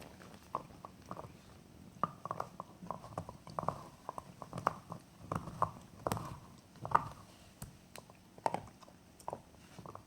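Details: Jack Russell Terrier enjoying a bone indoors: irregular crunching and gnawing, sharp clicks and cracks scattered every half second or so, with soft knocks in a small quiet room.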